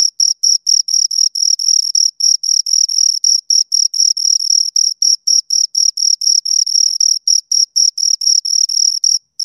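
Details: Two crickets chirping steadily, a high, pure tone near the top of hearing broken into short pulses about four per second, with a fainter upper overtone; nothing else audible, clean and close.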